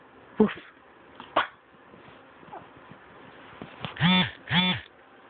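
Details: A Pomeranian named Lucita gives two short, harsh, honking barks in quick succession near the end, after a few faint clicks and soft rustling in a quiet background.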